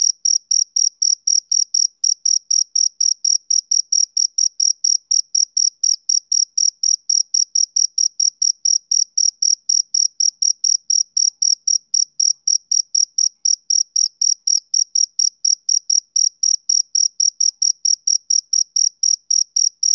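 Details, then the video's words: Summer-evening chirping of a male cricket, with shrill, clipped chirps repeating about four times a second, very uniform in pitch and loudness, a thin upper overtone above them, and nothing else audible. "Cricket Chirping Sound Effect"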